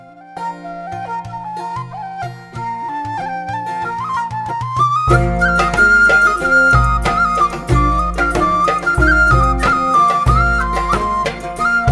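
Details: Traditional folk tune played on flute with plucked accompaniment and a steady beat, and no animal voice.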